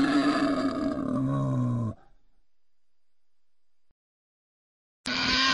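A wild boar gives a loud, harsh, rasping roar with deep grunting undertones that falls in pitch.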